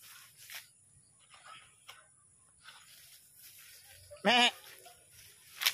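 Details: Goat during milking lets out one short, loud, harmonic bleat near the end, wavering slightly in pitch, amid quiet background noise and faint handling sounds.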